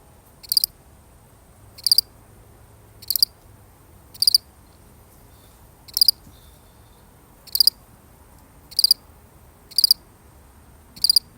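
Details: Steady chirping from one lone cricket: clipped, high-pitched pulse groups repeating about every 1.2 seconds, occasionally with a slightly longer gap, against near silence.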